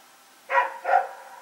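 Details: Dog running around with a companion dog and barking during the night, recorded on 21 September 2018; two short distant barks in quick succession over faint background hiss.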